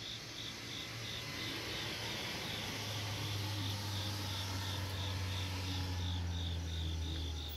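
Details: A cricket chirps steadily on a summer night in Asia, high thin pulses repeating about three or four times a second over a low rumble.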